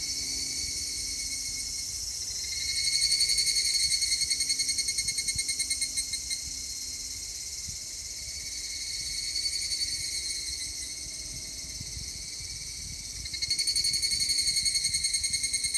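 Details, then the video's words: Evening cicada calling on 3 August 2021, bouts of rapid high ringing pulses rising and falling in loudness, laid over a constant shrill drone of other insects. "セミの鳴き声 ひぐらし"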